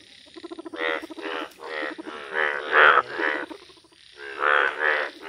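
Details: Bright yellow Indian bullfrogs calling outdoors: a run of loud, rasping, harmonic croaks about every half second, a short pause, then more bursts, with overlapping callers forming a dense chorus.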